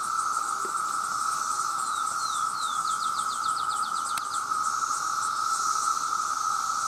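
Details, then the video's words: Male cicadas in their millions calling loudly to attract mates; a steady, even shrill drone holds throughout, with a fainter high hiss above it and a short run of rapid ticking chirps from another insect in the middle. "The Sound of The Cicada"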